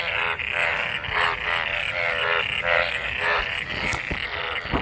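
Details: A chorus of frogs mating in collected rainwater after the monsoon rain, giving overlapping harmonic croaks in quick bursts, roughly two per second, with a few sharp clicks near the end.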